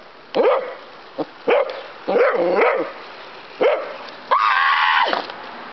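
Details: Pet dog outside reacting excitedly to a toy helicopter, with short sharp barks spaced irregularly, a quick double bark, then a longer, higher, drawn-out yelp at the end.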